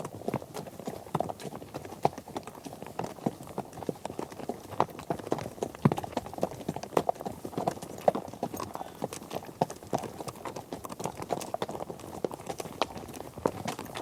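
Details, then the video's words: A group of horses on a trek over different ground surfaces produces a thick, unbroken drumming of hooves, crisp clacks scattered over a low, crowded thud. "Epic Horse Trek: Herd on Various Surfaces"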